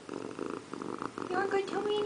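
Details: Pet cat Indiana Piano Rabbit sits in the bathroom sink bathing, purring at first in a low pulsing rumble, then breaking into a short tonal meow-like call that rises and holds.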